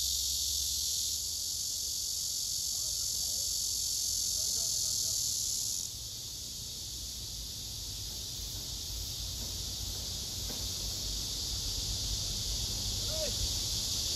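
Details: Male cicadas singing on trees, phone recording: a loud high buzzing chorus that drops abruptly in volume near six seconds, then continues more softly, with a few faint clicks and thin chirps.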